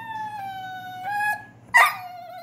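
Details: A German Shorthaired Pointer 'talks', trying to talk his way out of trouble: a clear, drawn-out whine sagging gently in pitch like a soft howl, a brief harsh yelp near the end, then a quieter whine.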